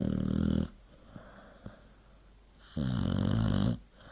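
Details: Sleeping dog snoring: a loud, rumbling, low-pitched snore breath fading after half a second, a quiet pause with faint clicks, then a second long buzzing snore near the end.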